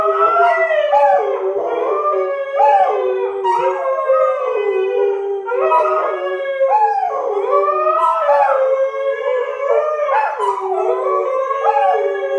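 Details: Husky named Sky howling while annoyed by two English springer spaniels, Marshall and Sadie, in a howling trio: overlapping wavering howls sliding up and down, rich in harmonics, continuous throughout with several voices at once.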